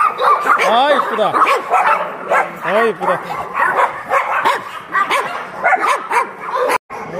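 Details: Barking of abandoned dogs at a shelter in Yangsan, with clear bouncing barks and yips among a busy chorus, mixed with a person's voice talking over them.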